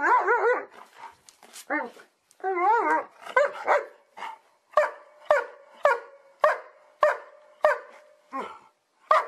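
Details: Happy dogs barking for fun: opening wavering, warbled yowls, then a steady run of short, sharp barks repeated roughly every half second to second.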